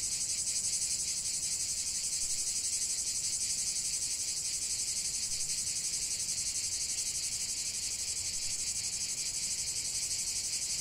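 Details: A chorus of cicadas in nature keeps up a steady, shrill, sizzling drone with a quick throbbing pulse throughout, unbroken and without other noticeable sounds.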